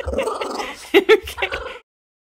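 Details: An angry female Boston Terrier gives a short, gargling growl with throaty bursts as a person tells her a story and mentions a bath, one of her least favourite words, with laughter nearby.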